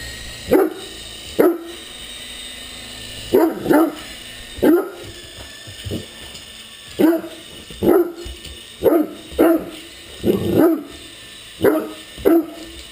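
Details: Great Dane barking while playing with an RC helicopter: a run of short, sharp, deep barks, singly and in pairs, roughly every second, over a steady high mechanical whine from the toy.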